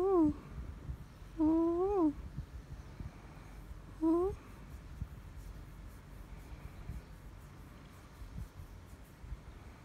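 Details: Kathi the cat indoors making three short meows that rise then fall, the middle one longest, spaced a couple of seconds apart, followed by quiet room noise.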